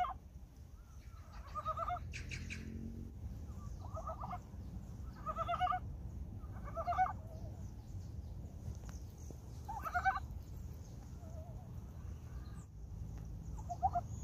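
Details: Frogs newly awake at Gyeongchip in early spring give scattered bursts of pulsed, rattling croaks every couple of seconds, with a brief sharp noise early on and a steady low rumble beneath.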